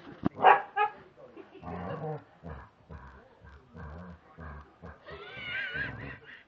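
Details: Evening demand for food from a male English Springer Spaniel, barking and 'talking' at 7pm. A short bark opens, followed by rhythmic grumbling woofs and a high, wavering whine near the end, with a person speaking.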